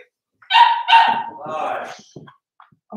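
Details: Four-week-old Cavalier King Charles Spaniel puppies in their pen: two short, high, strained yelps in quick succession, then a lower wavering whine, followed by a few faint soft clicks and knocks.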